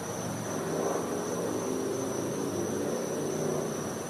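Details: Cicada calling at night in winter in a Florida back yard: a steady, unbroken high whine holding one pitch throughout, over a broad low rumble that may be distant traffic or aircraft.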